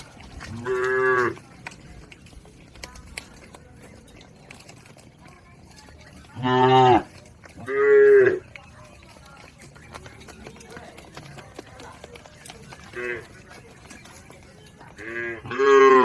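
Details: Cattle in a herd crossing a river toward the farm pen: several loud harmonic moos, each under a second long, come at irregular intervals across the stretch, with quiet gaps between.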